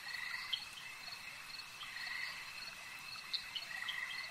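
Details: Frog voices at a lake: soft mid-pitched croaks and a couple of brief bright chirps over an unbroken high, insect-like whine.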